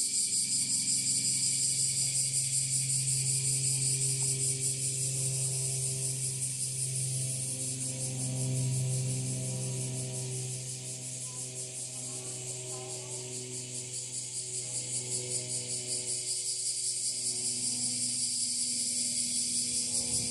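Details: Full-volume chorus of bear cicadas recorded from slightly farther away in northern Kyushu, Japan, on 26 July 2023 after the rainy season ended; loud rhythmic high-pitched rasping pulses fill the air, swelling and dipping, over a steady low drone.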